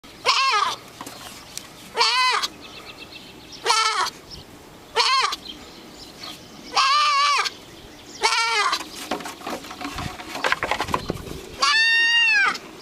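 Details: Small female goat on a farm, noted for fine fleece and a howling voice, calling again and again: loud harmonic bleats about a second long, some wavering, roughly every one to two seconds, with rustling between.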